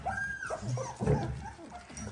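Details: Eighteen-day-old Dalmatian puppies giving brief high whimpering squeaks that rise and fall, with soft rustling and faint muffled noise behind them.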